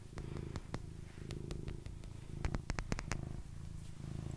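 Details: Pet cat named Basil purring during an ASMR session; steady low rumbling purr in rhythmic pulses throughout, overlaid with sharp fingernail or finger pad tapping clicks.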